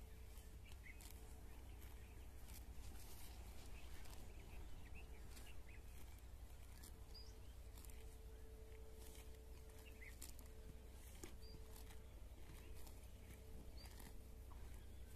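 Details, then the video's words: Cows grazing grass at a village house, tearing and crunching in soft, irregular bursts against a steady low hum, with faint bird chirps in the background. "Here the Sounds of Cows Eating Grass"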